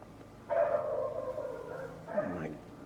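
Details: Neighbour's dog, one of several set off barking nearby, gives a drawn-out howling bark that holds then slides down, a second shorter yelp near the end; quiet background outdoors.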